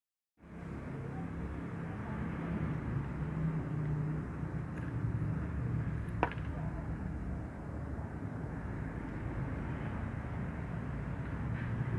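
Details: Low steady rumble of traffic or machinery indoors, with one sharp click near the middle and no animal voice.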